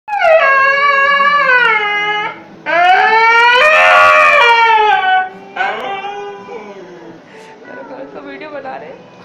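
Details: Ghanti, a stray dog kept indoors at night and not allowed to leave, argues to go out: three long, loud whining howls that rise and slide down in pitch, followed by softer broken whimpers.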